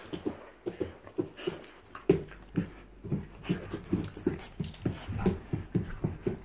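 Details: Two bull terriers, Joy and Miley, indoors; rapid rhythmic panting bursts, several per second, with short low snuffly breaths and faint whimpers in a small room.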